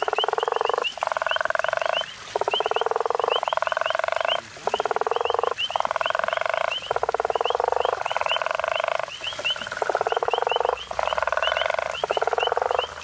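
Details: A guttural toad (Sclerophrys gutturalis) near Hazyview, South Africa, gives deep, snoring pulsed calls, each about a second long, repeated with brief pauses.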